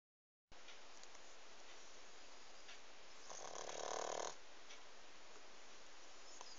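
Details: Pug snoring: a single rough, rasping snore swells for about a second midway, set against a steady background hiss.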